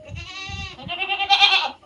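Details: Native country goat (nattu vellaadu) calling clearly: a drawn-out, trembling bleat that breaks into a louder, harsher upward cry near its end, with faint low voices underneath.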